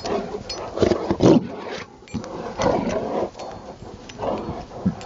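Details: Snow play by a Rottweiler in Maryland, December 19, 2009, Saturday afternoon: a string of deep, grating growls and snorts, strongest in the first and third seconds, separated by brief quieter gaps.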